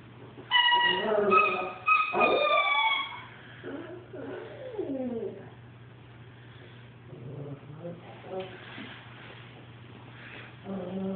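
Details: Lilo, an albino Shih Tzu, cries indoors while playing with her toy because its sound hurts her ears: bright, steady squeaky-toy tones give way to high, wavering whimpers that rise and fall in short bursts, with a low hum underneath.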